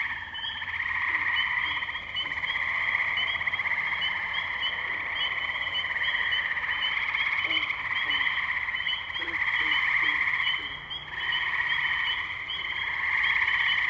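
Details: Tree frog chorus, Firestone Park wetlands, Columbiana, Ohio, May 6, 2023, recorded using a Zoom H2n: thick high trilling from numerous frogs, briefly dipping near the end, with short lower chirps from other callers mixed in.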